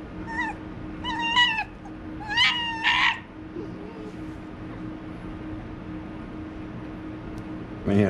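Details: Indoors, a pet white fox playfully attacking gives four rising-falling whiny yelps in quick succession over about three seconds, then falls silent, with a low hum and a brief voice at the end.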